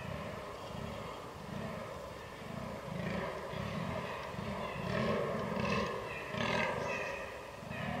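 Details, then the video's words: Fallow deer rut, 22 October 2022, Canon R6 recording: hoarse low groans pulsing about three times a second, growing rougher and louder toward the end with raspy upper tones. "DAŇČÍ ŘÍJE / FALLOW DEER RUT"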